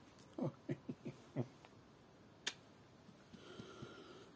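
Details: Yorkshire Terrier named Lucy fussing indoors on a Sunday morning: five short, low, throaty grunting bursts in about a second, then a sharp click and soft, fainter huffs in a quiet room.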